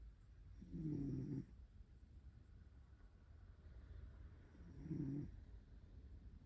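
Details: Zuka, a pet cat sleeping in a lap in bed, snores softly: two low, breathy rasping bursts about four seconds apart in a quiet room.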